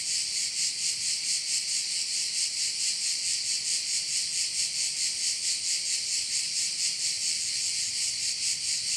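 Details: Crickets at a bay in Korčula, Croatia: a dense, high, shimmering chorus pulsing steadily about twice a second, with no other clear sounds.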